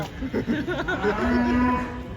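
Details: Cattle coming down off a truck. A steady, low, droning moo holds one level pitch for nearly a second after short broken lowing sounds.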